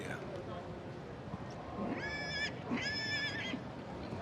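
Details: Welsh Cob in a three-year-old filly and gelding class at a show, giving two short, steady, tonal neighs of about half a second each, close together, over crowd murmur and an announcer's voice.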